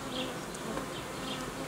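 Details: Honey bees in a Romanian apiary where colonies are united and old queens replaced with young ones: a steady, dense buzzing hum with a faint droning tone underneath and soft higher chirps scattered through.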